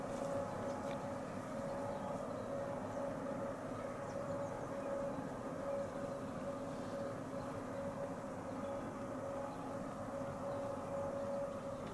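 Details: A steady low drone with a faint humming tone, like distant machinery or a train, and no animal calls.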